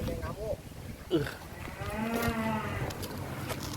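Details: Moo from a giant contest bull or cow at the 2023 APPSI show in Karawang: a bowed, rising-then-falling lowing call of about a second, preceded by clatter and brief human sounds, with constant low background rumble.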